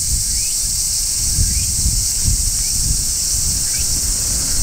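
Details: Large brown cicada shrilling from a tree in midsummer, natural recording: a continuous high sizzling drone, with faint short rising chirps about once a second and a soft low rumble underneath.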